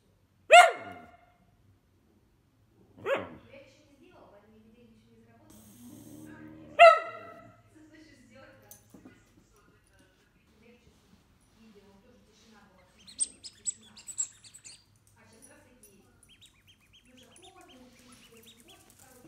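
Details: Roscoe, a male pet whippet described as more hyper than most, gives three sharp, harmonic-rich barks spaced a few seconds apart in the first seven seconds. Quieter stretches follow, with soft murmuring and a burst of high clinking near the end.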